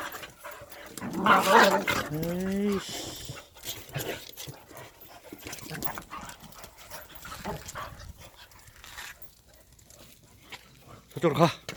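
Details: Korean native Jindo dogs named Sundol, Baekho and Ttoksuni at exercise time; a drawn-out whining cry with stepped harmonics near the start, then quieter rustling and a short yelp at the end.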